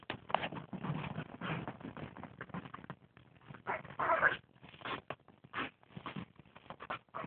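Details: Female Chihuahuas playing around a dining room table indoors, caught on a phone: quick irregular bursts of growly, yipping noise, some scuffling and low rumbling between them, with brief quieter gaps.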